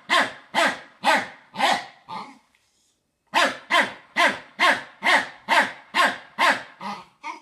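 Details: Fox terrier named Rek barking at a Samsung vacuum cleaner: a quick run of five sharp barks, a short pause, then about nine more evenly spaced barks, roughly two per second, with no other sounds heard.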